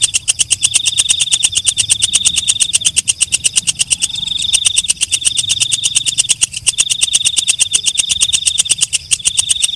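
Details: Night grasshopper, or walang kecek, calling in darkness with a long, steady run of quick clicking pulses. A piercing high tone sits beneath, and the clicks break off briefly twice before continuing.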